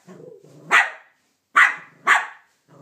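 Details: Banjo, a Cavalier King Charles Spaniel, barks at Minnie Mouse for taking his bone: three sharp, loud barks after a low rumbling growl, with a person's encouraging voice in the background.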